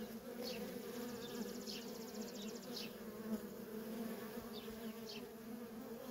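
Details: Steady humming of worker honey bees busy at a feral colony, a thick low drone with strong harmonics, overlaid by quick high chirping notes and a short rapid trill.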